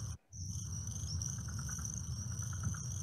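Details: Little grass frogs (Pseudacris ocularis) chorus at dusk at a limesink pond in Carolina Beach State Park: an overwhelming thin, very high, cricket-like chirping over a deep steady rumble, with southern leopard frogs in the background.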